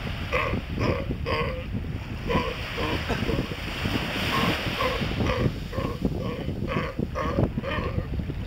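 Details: Galapagos sea lion pups frolicking while watched by an adult give short, nasal, bleating calls over a steady rumble of wind and surf.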